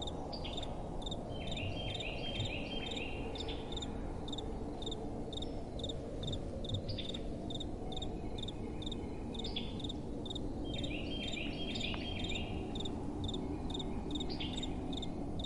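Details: Crickets calling at night: a long run of rapid, high-pitched chirps, with clusters of lower, buzzy trills overlapping at times, backed by soft, continuous wind.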